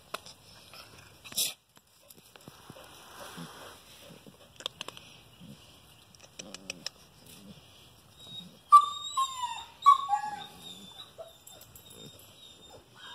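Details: Great Pyrenees and German Shepherd cross puppies, recorded 29 December 2018, giving a few short high whines that slide downward near the end, after scattered clicks, soft rustling and brief taps.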